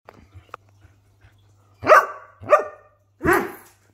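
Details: A greyhound barking for attention gives three loud, harsh barks, each falling in pitch, spaced about a second apart.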